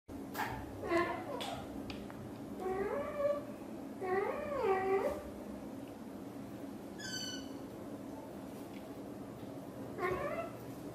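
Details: British Shorthair mother cat talking to her kittens: a series of soft, harmonic chirping meows that rise and fall, in bursts around one, three, four and ten seconds, with a brief high squeak midway against a quiet background.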